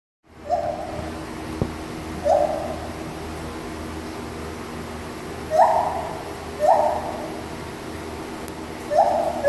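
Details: A mated pair of white-handed gibbons at a zoo sing their song, giving clear, hooting notes that swoop upward, spaced a second or more apart.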